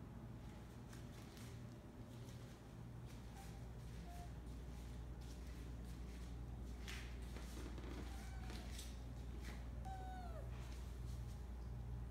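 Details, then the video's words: A Siberian cat asks for food in the morning after being teased with it. Scattered short meows, then one longer downward-bending meow near the end, with shuffling, clicks and a constant low hum indoors. "Siberian Meows for Food"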